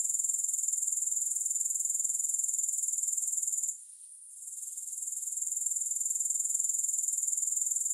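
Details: Grasshoppers in a continuous, very high, hissing buzz made of fast pulses. The buzz drops out for about half a second midway, then swells back. No music or other sounds.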